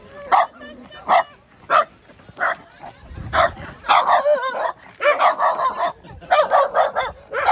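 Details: Shiba Inu confronting a gorilla gives short loud barks about every 0.7 seconds, then denser, agitated strings of yapping barks and whiny yelps mixed together, with soft background noise.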